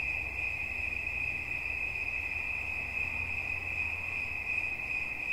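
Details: A cricket sings one unbroken, steady, high-pitched trill that holds a single bright tone with a faint higher overtone and never pauses, over a soft low rumble in the background.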